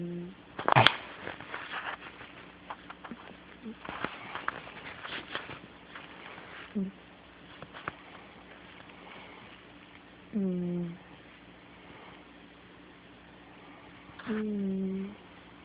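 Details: Snoring kitty asleep in a small room: after some early rustling and a sharp crackle, two droning, whistly snore breaths arrive about four seconds apart, each steady and lasting under a second.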